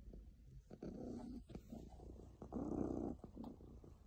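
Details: A happy cat purring up close: a rough, buzzing rumble rising into a louder stretch in the second half, with short quieter pauses in between.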